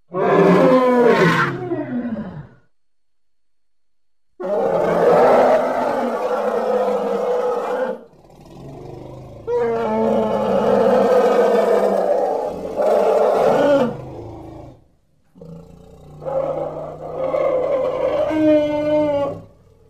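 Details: Playful baby elephant voicing four loud, harmonic bursts of a few seconds each, rich in overtones and separated by short silences, the second and third calls long and sustained.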